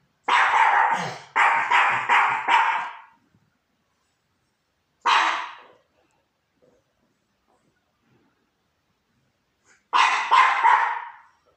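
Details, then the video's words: Young pup on a couch barking at the neighbours: quick bursts of sharp, high yappy barks, four in a row, then a single bark, then another short run of two, with silence between bursts. "Little pup on the couch barking at the neighbours."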